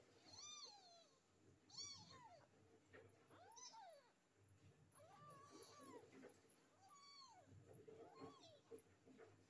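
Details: Three stray street kittens meowing. There are about seven high, arched meows, each rising then falling, spaced unevenly over nine seconds. Some overlap slightly, and a low rumbling background runs beneath them.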